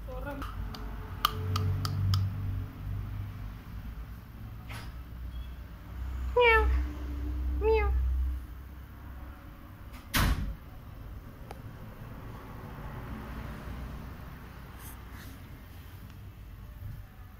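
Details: A Siamese cat playing and watching a hand, ready to pounce, gives two short, bright meows about a second apart, each bending up then down, over quiet human talk and a few clicks.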